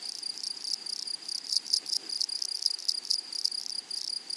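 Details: Wild grasshoppers singing in a flowery meadow: rapid shrill pulses over a sustained high whine, interrupted by repeated louder rasping bursts roughly every quarter second from midway on.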